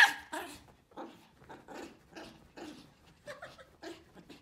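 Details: Pomeranian puppies barking together with a female Pomeranian: a steady run of short, sharp yaps about every half second, some softer and overlapping, indoors.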